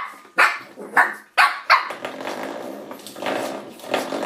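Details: Shih Tzu puppy named Misty attacking a door stop indoors: four sharp, high puppy barks in quick succession over the first two seconds, then a low rough growling rumble with a rattling undertone.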